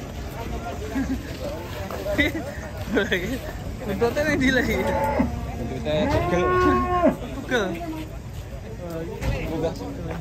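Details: Cattle mooing at a cattle pen in Indonesia, several long wavering calls with rising and falling tones, overlapping voices of people talking and background chatter throughout.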